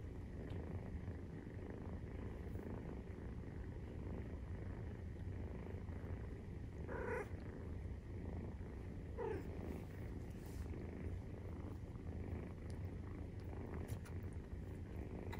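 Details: A 43-day-old Maine Coon kitten purrs as it nurses, a constant low rumbling drone; two short brighter squeaky sounds break in near the middle, roughly two seconds apart.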